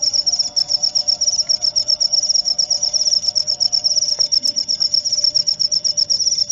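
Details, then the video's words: Cricket chirping steadily, a high thin pulsed trill repeated rapidly, about four pulses per second, continuous throughout with a faint low hum beneath. "Suara Jangkrik untuk pengusir tikus & therapy insomnia"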